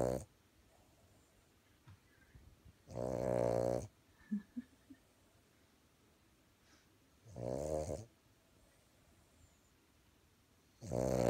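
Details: A Boston Terrier napping indoors in Idaho, USA, snores constantly in loud, rasping, rumbling breaths that come roughly every four seconds.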